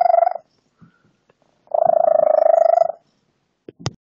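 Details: Female pet cat with an odd purr of about five months, compared to a lizard or bird, recorded on a phone: a short buzzy pulse burst, a pause, then a second rapid, rattling purr of just over a second, ending with a click.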